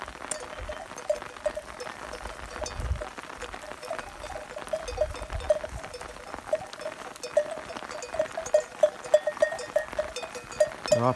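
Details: Kangal sheep on a farm near Saray, Yunak, Konya, out in the rain: short, faint bleat-like notes repeat in a loose series over steady rain patter. Occasional low thumps, and a voice is heard briefly.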